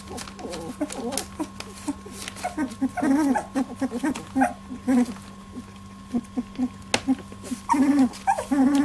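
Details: Labradoodle puppies, 18 days old, jostling in their first milk fight: sharp clicks and rustles between bursts of wavering whines and squeals, louder toward the end.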